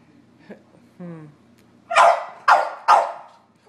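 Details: Dogs, a Sheltie, a Collie and a French Bulldog, barking at a squirrel on a rainy March day; a faint whine, then three loud sharp barks roughly half a second apart.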